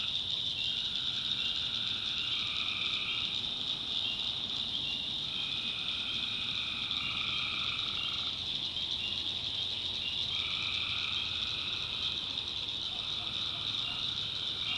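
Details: Tree frogs chorusing at night in the backwoods of North Carolina: a dense, steady high trill fills the air while two-tone calling bouts, each about two seconds long, start and stop, with a faint low hum beneath.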